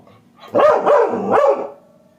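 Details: Labrador Retriever puppy named Dash barking indoors while a person gives commands in Tamil: three loud, harmonically rich barks in quick succession over about one second, with a trailing tonal whine.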